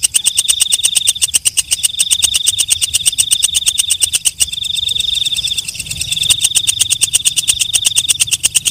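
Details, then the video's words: Walang kecek, a katydid heard at night, produces an unbroken stream of sharp ticks fused into a shrill buzzing trill. The trill keeps an even pitch and is briefly interrupted around the fifth and sixth seconds. "Suara Walang Kecek/ Belalang Malam"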